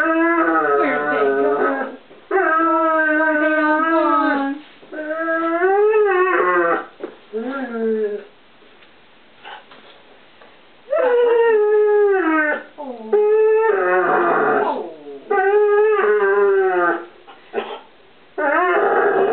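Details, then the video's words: In a kitchen, Ozzy, a one-year-old English Setter puppy, 'sings' for treats with long sustained howling whines, several lasting two seconds or more, some bending up and down in pitch, separated by short quiet gaps. "English Setter puppy sings for his supper"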